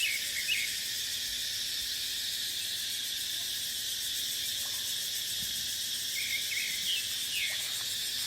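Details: Cicadas in a dry dipterocarp forest in the dry season, with wind: an unbroken, shrill, high-pitched droning chorus fills the whole clip, with a few faint short bird chirps lower down.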